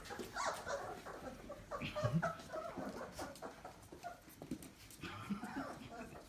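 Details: Twenty-eight-day-old Labrador Retriever puppies from the Alice litter at Kloster Marienthal kennel, dated 31.05.20, wriggling together. Short high squeaky whimpers and yips come in quick overlapping bursts, with soft rustling and faint low voices.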